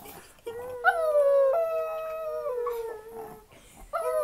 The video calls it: Chihuahua Howling Like a Wolf